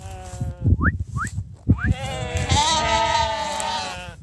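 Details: A flock of sheep called for breakfast. Two quick rising whistles and a human call come first, then a sustained, wobbling bleat swells and carries to the end.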